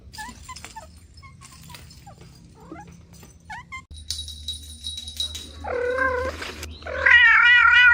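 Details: Kittens playing with mother cat and two siblings: faint, thin, short mews scattered at first, then a low hum begins and two loud, long meows follow, the last one wavering and strong.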